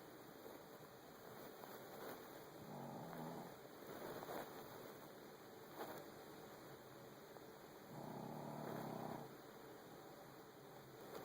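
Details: Frankie, a Shih Tzu, snoring through his nasal passage: two drawn-out rasping, breathy bursts near three and nine seconds, low and muffled, with a faint steady hiss between them.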